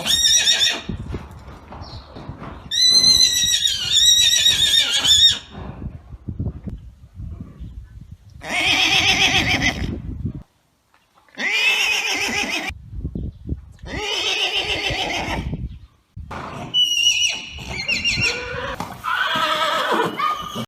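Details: Neighing of an Arabian horse: one bright, wavering whinny of about two and a half seconds, followed after quiet stretches by several rougher, breathy neigh bursts and snorts spaced a few seconds apart.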